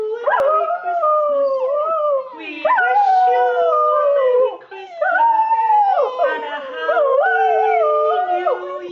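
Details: Pet Border Terrier singing along to "We Wish You A Merry Christmas", giving sustained, tuneful howls that rise and fall in pitch across several phrases, with brief dips between them and the song possibly heard alongside.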